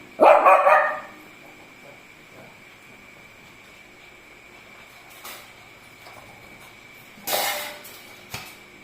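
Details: A pet Shih Tzu that had chewed through a power cord lets out one short, sharp bark at the very start. Quiet room noise, a steady high electronic tone and a few soft knocks follow.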